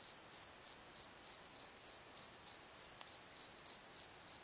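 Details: Crickets at night in a valley bottom near a tree, with the valley settling down for the night: high, sharp chirps repeated steadily about three times a second, each a short clean pulse, over a quiet background.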